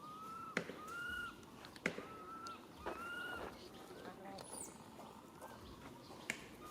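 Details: Baby monkey calling its mother for help: a series of clear, arched, whistled coos, rising then falling, repeated roughly every second, with a few faint higher squeals. Sharp knocks or taps break in, over a steady rustling outdoor background.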